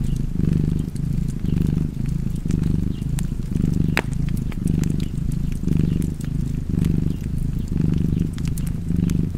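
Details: Cat purring contentedly next to a fire, its low throaty vibration rising and falling in regular breath cycles, around nine in a row, while scattered crackles and pops of the fireplace sound over it.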